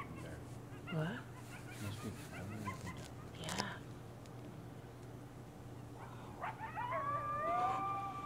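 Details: Coyotes calling as a pack at night on Devils Night, short sliding yips early, then a long clear rising-and-falling howl with rich overtones closing out the recording, over a steady low hum.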